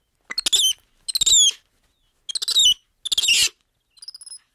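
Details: Black-handed spider monkey giving four loud, harsh, squealing bursts, each with high whistled strands sliding downward, spaced about a second apart, then a fainter pair of thin whistled notes at the end; quiet background.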